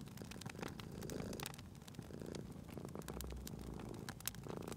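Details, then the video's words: Domestic cat purring near a crackling fire: soft, low rumbling purr with faint breath swells, partly masked by frequent crisp crackles and pops from the fireplace. "Cute Purring Cat at a Crackling Fireplace"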